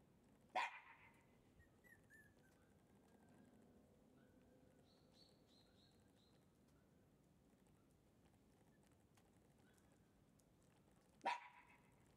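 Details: Shiba Inu puppy giving two short, sharp yips about ten seconds apart, with a quiet stretch and faint soft squeaks in between.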